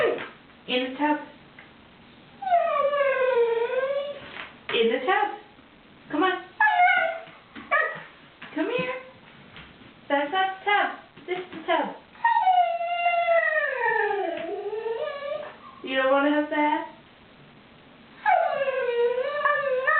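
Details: Indoors, a Siberian Husky named Wolfie protests the threat of a bath. It gives long, wavering, howl-like moans that slide up and down, broken by shorter yelps. A person's voice keeps coaxing it toward the tub.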